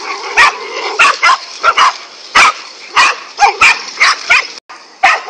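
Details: Five angry dogs confronting a king cobra bark in rapid, uneven bursts, loud clipped yaps roughly every half second to second, over a constant noisy hiss.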